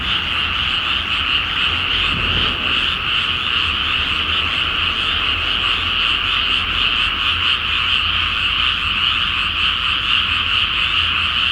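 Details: Frogs in full chorus at night in a flooded pre-planting rice field in Japan, full moon above; a pulsing mass of croaks, with a brief low rumble near the start.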